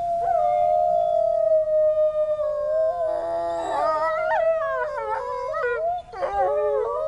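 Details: Wolves in a zoo enclosure reacting to distant sirens with a long steady howl that is joined by other voices, rising and falling, then quick choppy yelps and wavering howls near the end.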